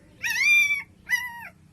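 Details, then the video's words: Young puppies crying for their mother, hungry for milk: two drawn-out, high harmonic whines, the first long and level, the second shorter with a falling end, over a low background hum. "తల్లి కోసం కుక్కపిల్లల ఏడుపు"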